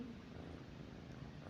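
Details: Pet cat named Mithu lying beside its owner at night, purring softly: a low, steady rumbling drone that holds evenly throughout with no breaks, quiet and close.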